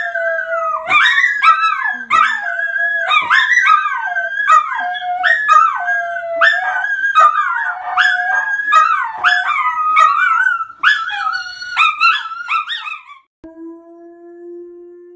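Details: High, yodelling dog howls rise and fall in rapid, repeated phrases with clicking sounds for about thirteen seconds, then stop; a low, steady, even tone follows.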